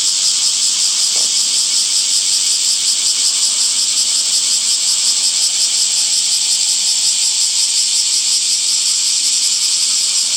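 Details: Cicadas droning in summer trees, a loud, shrill, hiss-like buzz that stays continuous and even throughout, with only a faint flutter in its texture.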